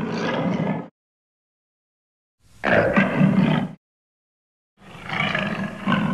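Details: A lion producing three deep, gravelly roars of about one second each, separated by clean silent gaps, each rough with a strong low growl underneath.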